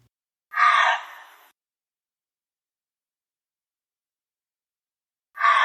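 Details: Gray fox calling: a single hoarse, raspy bark-scream about one second long, harsh and broad in tone, trailing off into quiet, with a second call just beginning at the very end; no other sounds.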